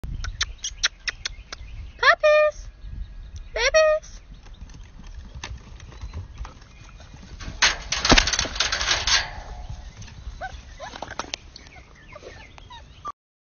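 Basset hound puppies let out two short, high-pitched yelps that waver up and down, a second or so apart. Clicks, shuffling, and a burst of rustling noise fill the rest, with a few faint whimpers near the end.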